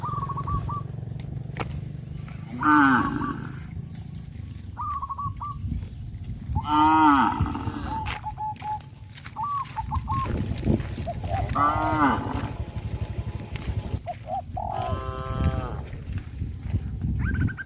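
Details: Cows on a traditional village farm being led to the rice fields after the harvest, lowing in four drawn-out, harmonic moos spread across the clip, with shorter high bird calls between them over a steady low rumble.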